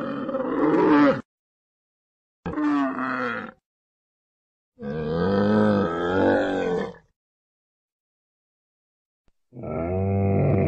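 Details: Camel roaring and groaning in four separate bouts, each a harsh, gurgling bellow with wavering pitch, the longest lasting about two seconds, with silent gaps between them.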